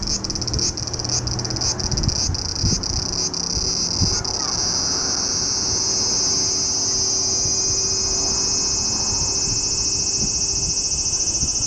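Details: Cicada calling in Japan during July: a loud, continuous high-pitched drone, pulsed for the first four seconds and then holding as one unbroken shrill whine, with faint low hum beneath.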